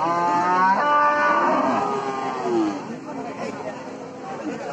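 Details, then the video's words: A cow lowing: a long harmonic moo in the first two seconds, then quieter rumbling calls and faint background voices. "Amazing cow voice video"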